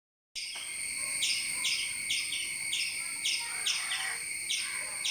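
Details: A squirrel gives sharp, high chirps about twice a second over a steady, high-pitched whine, while a cat that climbed a tree after it is trapped there.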